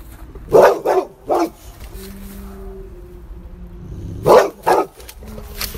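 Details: A Boxer dog gives short, gruff barks in two quick bursts separated by a quiet pause, in reaction to a howling wolf.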